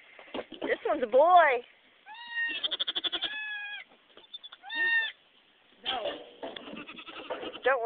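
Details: Goats at a nanny goat's birth of kids: loud wavering bleats, some long and shaky, others brief, in clustered bursts between quieter gaps, with people speaking nearby.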